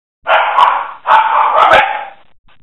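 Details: Mother dog playing with her pups, recorded in February 2016: two long, harsh, noisy bark-like vocalizations of about a second each, separated by a short gap, with a woman speaking Dutch nearby.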